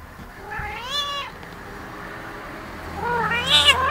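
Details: Very talkative female house cat, roughly twelve years old, making two clear harmonic meows: a drawn-out arching one, then after a pause a second rising, wavering meow, in a quiet indoor setting.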